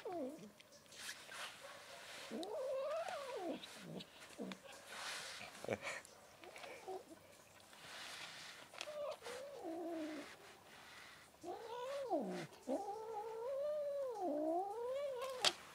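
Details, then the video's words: Angry white female cat protesting being touched: long wailing yowls that rise and fall in arching, wavering sweeps, some broken into quick pulses, coming in irregular bursts with knocks and rustling between them. "This white cat gets angry when I touch her"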